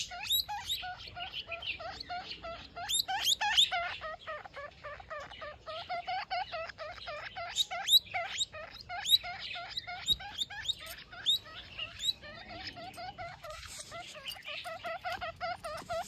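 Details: Baby guinea pig calling its mother: a rapid, continuous run of short, squeaky, upward-sweeping chirps, densely repeated for the whole stretch, rising and falling in loudness.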